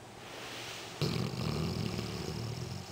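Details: Sleeping black Labrador Retriever snoring very loudly: after a second of quiet breathing hiss, a sudden rough, low rasping snore starts and drags on to the end.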